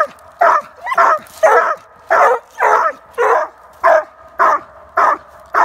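Treeing Walker Coonhounds give a rapid series of loud, ringing barks, each one a little drawn out with a bawling edge. The barks repeat in a fairly even rhythm, roughly twice a second, with short quiet gaps between.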